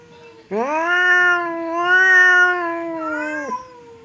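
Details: A pet cat confronting another cat across a divider lets out one loud sustained wailing yowl, steady and slightly wavering for three seconds before dropping off abruptly.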